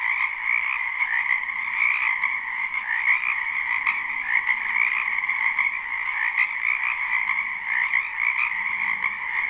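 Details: A live spring recording of numerous frogs croaking together in a wetland: constant layered trilling at a higher and a mid pitch, slight swells in volume, otherwise steady, with no birds, voices or music.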